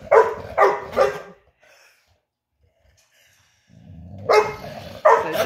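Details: Dog named Ludo barking at home in a morning barking competition, as part of his daily routine: three sharp barks in quick succession, a silent pause, then two more loud barks.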